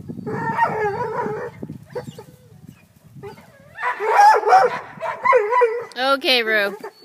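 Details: Black and Tan Coonhound that has chased a cat up a tree and climbs the tree after it; drawn-out, wavering bawling notes in two bursts, then a sharp, high yelp at the end, with a person talking nearby.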